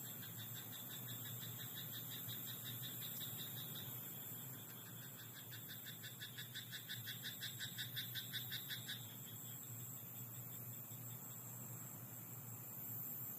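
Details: Frog croaking in a rice paddy at night, a rapid pulsed rattling trill of about four seconds in mid-clip over a steady low hum and a continuous high insect-like whine.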